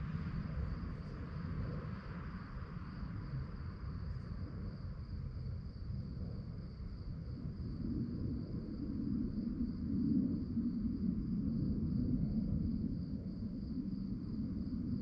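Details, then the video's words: Night-time cricket chorus: a continuous high, finely pulsed chirping held at one pitch, with a heavier low rumble and murmur of background noise beneath it. "relaxing sounds of crickets"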